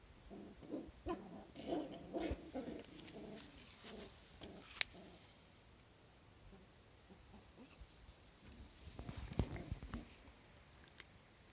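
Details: Cardigan Welsh Corgi pups playing in a garden on 16 October 2020: a quick run of soft, squeaky whimpers and yips over the first few seconds, then rustling and low outdoor noise.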